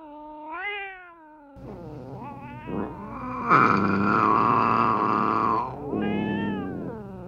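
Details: Cats meowing to lure other cats nearby; a rising-falling meow opens, then overlapping calls swell into a long loud yowl lasting about two seconds, ending with another arched meow.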